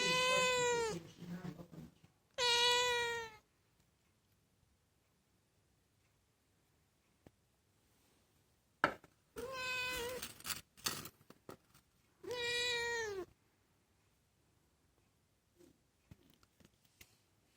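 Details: Pet cat meowing just for the fun of it, talking to her people: four drawn-out harmonic meows about a second each, some rising then falling, separated by quiet gaps, with faint soft clicks in between.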